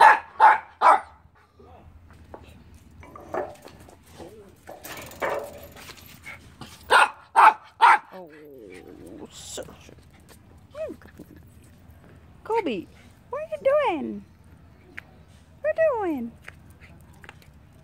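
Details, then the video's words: Doberman Pinscher named Kobe, eager to play with his miniature Spitz brother Keisy, barks in quick short bursts, often paired, while a person talks to him about his ball; later come higher rising-and-falling whine-like sounds. "Doberman Pinscher is excited to play with his brother Keisy"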